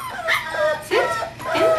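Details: Kahlua, a 5-week-old female English Springer Spaniel puppy from Star's fourth litter, born 12-5-11 and recorded 1-14-12, gives three short rising and falling whines while a person repeatedly praises her with "good girl" and "sit".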